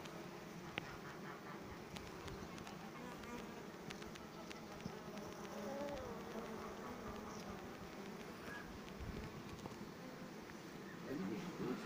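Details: Honey bees buzzing in a low, steady, dense hum that holds level throughout, with scattered faint clicks and taps layered over the drone.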